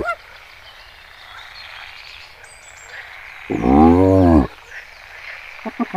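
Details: In Kruger National Park, South Africa, one hyena gives a single drawn-out, arching harmonic groan of about one second against steady outdoor background noise, followed by a few short, clipped notes at the end.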